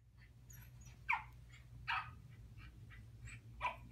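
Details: A corgi puppy watching other dogs on YouTube gives short, high yips and barks, with fainter barking, apparently from the video, in between.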